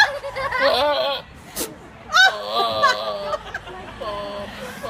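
A goat gives odd, wavering bleats, strained and quavering, in two long bursts.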